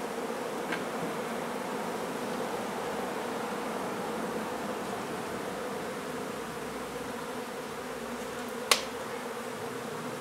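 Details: Honey bee hive removed from a renovated old home in Donna, Texas, in hot weather; an even, unbroken buzzing hum of the massed colony, with a single crisp tap late on.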